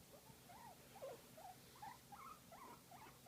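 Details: A guinea pig being massaged makes a string of cute, repeated whistling squeaks, each a short arching note, several per second and fairly even in loudness, over a low steady hum.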